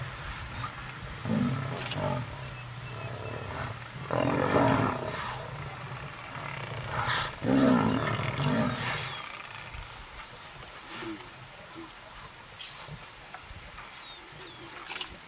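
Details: Lion confronting buffalo in the wild, giving three loud, harsh, low growling roars, each lasting one to two seconds, spaced a few seconds apart, followed by quieter rumbling and scattered faint bird chirps.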